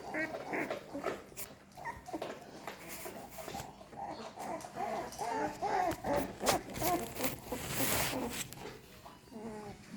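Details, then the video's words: American Staffordshire Terrier puppies in a litter, crawling and becoming more active; many small high squeaks and whimpers overlap throughout, with a woman's voice talking softly over them. "sounds of puppies.puppy noises.crawling pups.American Staffordshire puppies"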